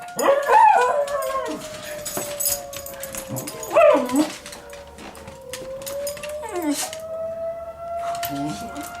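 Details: Schnauzer named Roscoe howls in wavering, rising bursts along with the steady drone of a monthly tornado warning siren test.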